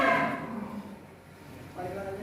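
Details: Untung, a "concrete-neck" bull raging in its pen at Duta Farm 61, Kuningan, West Java, Indonesia, gives a harmonic, fairly loud moo at the start. A second, softer lowing follows near the end, amid farm background noise.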